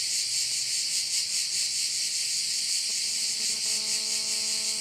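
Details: Korčula bay, Croatia, alive with crickets: an unbroken high-pitched trilling chorus beating gently about twice each second, joined partway through by a steady low droning tone.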